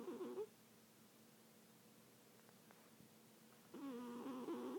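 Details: Sleeping cat snoring: two short nasal, harmonic rasps, one at the start and one at the end, with quiet room tone between.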